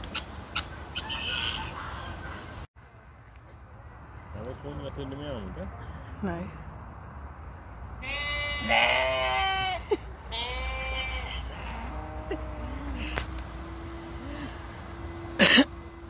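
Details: Sheep at a petting farm, visited by a Basenji dog, giving a somewhat strange sound: wavering, quavering bleats, one short and one longer, amid human speech and a steady background hum.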